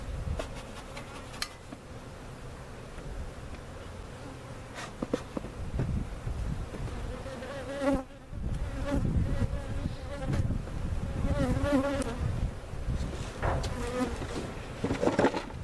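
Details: Relocated cutout colony of honey bees at Jerome Bee Farm in Central Oklahoma, buzzing continuously while bees and comb are moved into a permanent hive; dense hum broken by knocks, rustling and a brief voice.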